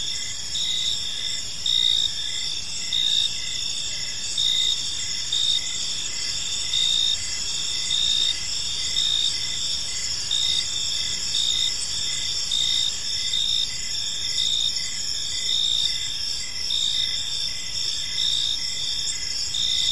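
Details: Crickets chirping in a park on an evening, a steady high shimmering trill overlaid with pulsed chirps roughly once a second, several insects calling together over faint low background rumble.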